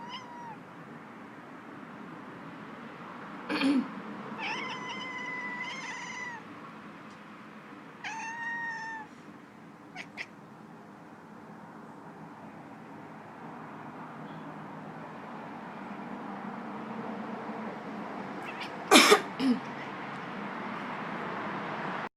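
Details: Domestic cat named Caboose, annoyed when its owner coughs, gives a run of tonal, slightly wavering meows around five and eight seconds in. Sharp cough-like bursts sound near four and nineteen seconds over a low steady room hum.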